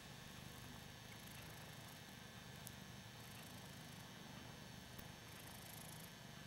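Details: Hoss, a Ragdoll cat, purring while enjoying being adored: a soft, steady low rumble runs unbroken for the whole stretch, with a few faint high clicks above it.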